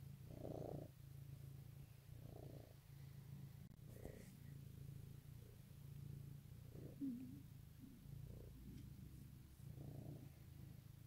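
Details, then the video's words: Morning purring from a pet cat, Easter 2018: a continuous deep, even rumble broken by gentle breathing pulses roughly every one to two seconds, with a small click near four seconds. "Goodmorning Purrs"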